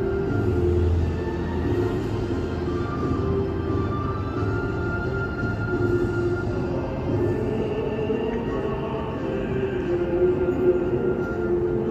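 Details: Dark, brooding soundtrack music with sustained low tones plays steadily throughout, and no animal is heard.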